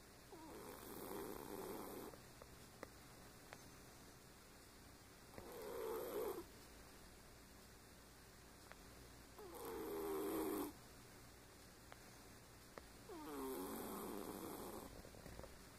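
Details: Sleeping pet cat snoring: four slow, breathy, rasping snores spaced roughly four seconds apart, with low steady background hum.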